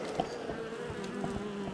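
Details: Western honey bees hum inside an Apimaye hive during oxalic acid vapour varroa treatment, a low droning buzz with shifting overtones, the bees ratcheting up their buzzing.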